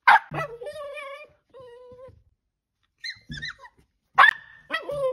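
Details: Pet Dachshund letting out a loud yelping bark followed by drawn-out, wavering whines, then more sharp barks near the end, with a little background noise between calls.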